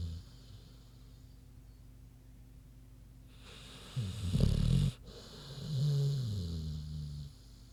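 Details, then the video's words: Queenie the big pig asleep and snoring: a short harsh snort-like rasp after several seconds of quiet, followed by a softer, longer low rumbling breath. "Big Pig Snoozin' (HD Queenie Snoring Audio)"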